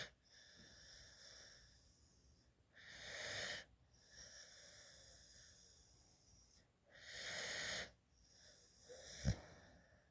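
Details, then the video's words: Female puppy, adopted at eight weeks from a dog rescue and raised as a family pet, sleeps in a lap while drooling with her tongue out; whistling, wheezy snoring breaths swell and fade in slow cycles about four seconds apart, with a brief click. "Cute Puppy Sleeping in my Lap | Snoring Drooling and Tongue Sticking Out"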